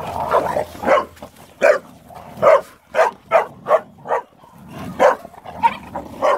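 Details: Playing Boxers bark in a loose rapid series, short sharp yaps roughly every half second, with a low hum beneath.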